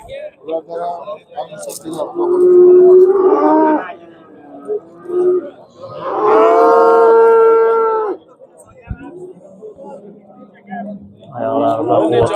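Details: Cattle at the Andijan livestock bazaar in Uzbekistan, where bull prices have dropped: two long, drawn-out moos, each about two seconds with a steady tone, separated by a pause, with men talking over the market bustle.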